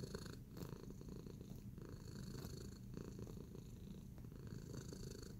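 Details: Relaxed and kneading, the cat Tacy keeps up a continuous deep purr, evenly pulsing at low pitch, with a few light taps and rustling sounds mixed in.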